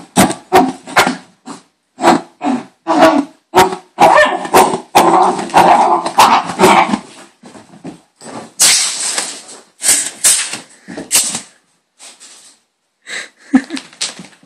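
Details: A hyperactive female dog named Bailey, worked up during a playful frenzy, gives rapid, irregular bursts of barking and growling, about two per second. A busier run comes midway, then hissy, breathy noises follow and the bursts thin out toward the close.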